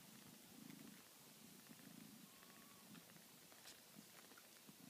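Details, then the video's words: Nursing kittens purring beside their mother cat, a low throbbing rumble in rhythmic pulses roughly every half second, with a faint thin squeak and a few soft clicks and rustles. "Baby kittens purring while nursing"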